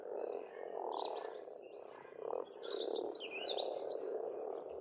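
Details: Frogs calling in spring at a pond on a farmstead in Estonia: a dense, steady low croaking chorus hums throughout, while birds sing bright, whistled, twittering phrases high above it.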